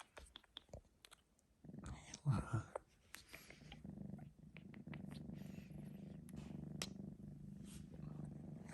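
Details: Male Sphynx kitten Senna, three months old, purring after a nap, recorded on an iPhone 12 Pro Max; scattered clicks and a louder burst early, then a soft continuous low purr settles in for the second half.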